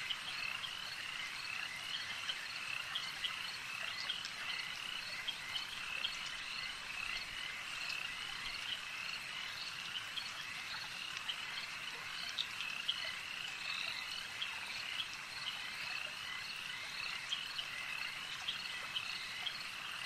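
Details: Lakeside frog chorus holding constant throughout, many overlapping high croaking trills layered into a continuous wall of sound, with occasional sharper clicks standing out and low ambient hiss underneath.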